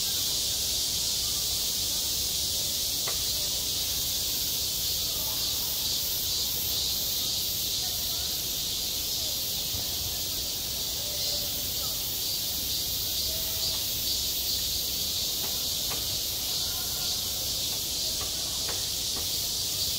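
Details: Midsummer cicadas singing at a schoolyard: a constant high buzzing wall of sound, slightly pulsing, with quiet distant voices and a few sharp taps mixed in.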